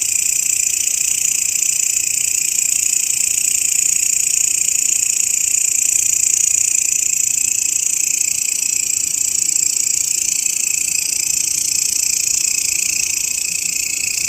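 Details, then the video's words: Grasshopper recording, used as a master sound for training songbirds, gives a steady, dense high-pitched buzzing trill. It pulses rapidly and evenly, about three beats per second, without pause for the whole stretch. No other clear sounds. "SUARA BELALANG,MASTERAN BURUNG YANG SERING DI CARI-CARI OLEH KICAU MANIA"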